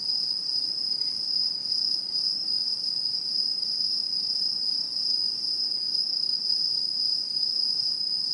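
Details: Singing insects of autumn in satoyama farmland and woods, 2016, producing a constant piercing high trill with gentle pulsing in loudness and a thin overtone ringing above.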